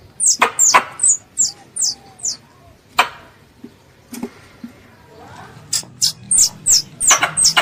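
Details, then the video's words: Squirrel, described as a pest, calling its mother for ambush hunting: bursts of high descending chirps, a few quick ones, then a quiet gap with faint sounds before the rapid chirping resumes, plus occasional sharp clicks. "THE SOUND OF A SQUIRREL CALLING ITS MOTHER"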